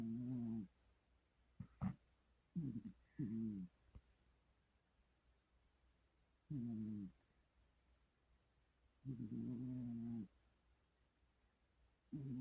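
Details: Sleeping, dreaming cat snoring: low, droning, buzzy breaths lasting about a second each, repeated at uneven intervals of a few seconds, with quiet gaps and a couple of faint clicks between.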